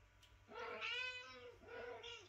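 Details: Mother cat calling to wake her kitten so she can feed it, indoors; one long drawn-out meow, rich in harmonics, rising and then falling over about a second and a half, with a softer second meow trailing after it.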